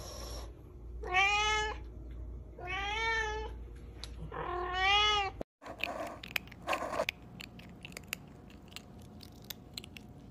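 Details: Domestic cat meowing: three clear, drawn-out meows, each about half a second long and wavering slightly in pitch, spaced roughly two seconds apart. Afterwards come clicks and rustling handling noise over a low background hum.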